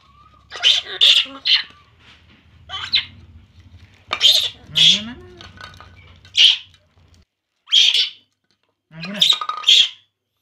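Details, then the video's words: A baby monkey drinking milk cries in loud, high, shrill squeals, often in quick pairs. Between the cries come soft speech in Vietnamese and a low rumbling background. "baby monkey Poo, Poo crying drinking milk"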